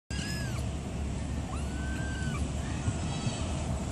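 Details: Black twin kittens behaving badly alongside a white kitten: thin, high meows, some drawn out and gently falling, recur through four seconds over a loud steady low rumble.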